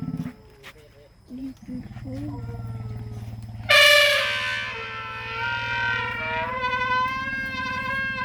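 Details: At an elephant sanctuary, a low hum and faint murmuring give way to an elephant's sudden trumpet, loud and brassy with a harsh edge, holding several seconds and wavering slightly in pitch as it fades.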